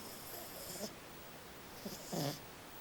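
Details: A female French Bulldog, a little pet dog, snoring, described as normal and common for her; two soft, raspy, breathy snore bursts about a second apart, each with a low rumbling core and hissy upper noise, over a quiet background.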